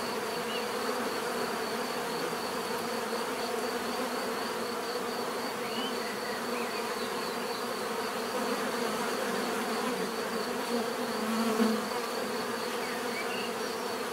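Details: Bees humming in a constant natural drone, layered low tones under a wavering high whine, with a brief louder swell late on as one bee flies close.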